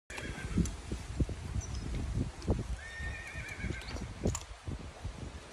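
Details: Horse being ridden: steady hoof clip-clops throughout, with a faint, high, drawn-out whinny near the middle and some rustling in the background.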